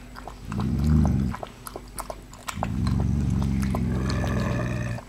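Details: Litter of seven-week-old puppies, third litter, with a short low growl followed after a pause by a longer, steady rumbling growl, amid light clicks and scuffing sounds.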